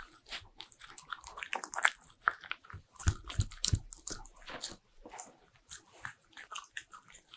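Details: Bichon Frise dog chewing butter-ring cookies at home for an ASMR recording; crackly crunches and moist smacking in uneven runs, a few heavier bites midway.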